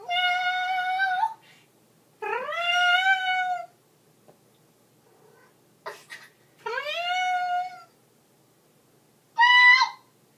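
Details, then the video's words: Ellie, a pet cat singing along with her owner indoors, gives four drawn-out tonal meows that rise at the start and then hold steady, then a short higher meow at the end. There are quiet gaps between calls. "Ellie the singing cat"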